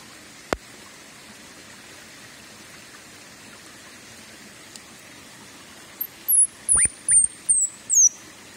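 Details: A baby squirrel gives a quick run of very high, thin chirps that slide downward, recorded on 8 August 2021 at Zaokeng, Dongshi, Taichung, Taiwan.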